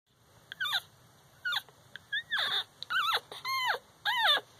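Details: One-week-old Shihcockapoo puppies, a litter of one female and three males from an American Cocker Spaniel father and a Toy Poodle–Shih Tzu mother, giving high, squeaky whining cries that slide downward, several in quick succession, indoors.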